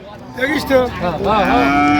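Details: Sahiwal cattle, cows with young female calves, for sale at Raniganj market in Dinajpur on 27 November 2025: a short, even, low moo near the end under overlapping male voices discussing price and teeth.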